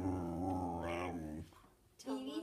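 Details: Whippet named BB, described as hungry and wanting food, giving a drawn-out, tonal moaning vocalization that wavers and rises near the middle, then breaks off before a shorter second moan.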